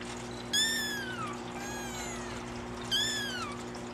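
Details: Pair of young Singapura kitten siblings, born 25 December, exploring together; two clear, high, drawn-out mews falling in pitch, separated by a softer short call, over a steady low hum.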